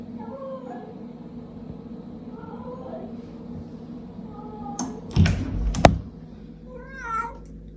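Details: Indoor cat that will not let its owner go to the toilet; a few faint short meows early on, then a clearer wavering meow near the end, with thumps, a woman's voice and low room hum.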